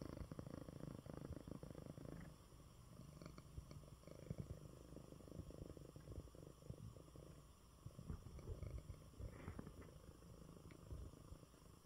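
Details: Male cat Coco purrs in his bed after a good meal while recovering from illness; continuous low rumble, stronger at the start and near the end, with faint rustling.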